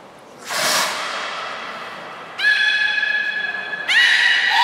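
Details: Beluga in public training at Port of Nagoya Public Aquarium, 16:00 session, 4 November 2018: a broad splash-like burst, then two sustained harmonic calls with sliding onsets, the last carrying a wavering whistle above.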